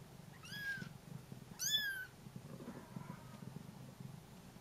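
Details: Young Bengal cats crying for their absent mother: two sharp high mews in quick succession, the second louder, then a faint softer mew, with low indoor hum beneath.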